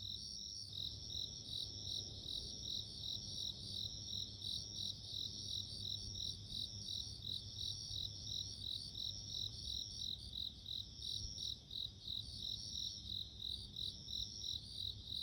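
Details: A bell cricket rings on and on in high, clean pulses about three per second, with a second fainter ringing layer and low ambient hum.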